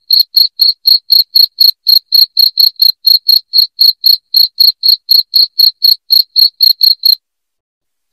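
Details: Cricket chirps played loud to scare off rats at home: a steady train of shrill, clean pulses about four per second for seven seconds, then a second of silence before one more chirp begins.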